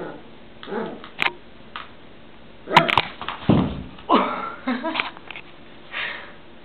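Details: Nika, a West Highland White Terrier, indoors in a small room: short rough growly vocal bursts and a few sharp barks in irregular clusters, with clicks and handling noises between them.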